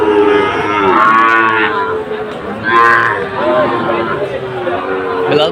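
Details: Sahiwal bull calves for sale at Aftabganj market, Comilla, Bangladesh, 17 August 2024: two or three long, wavering moos over market chatter and faint music.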